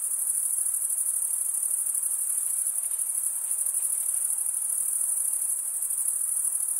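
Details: Constant high, thin cricket chirping with fast rhythmic pulses, about three per second, layered into an unbroken ringing drone at steady volume.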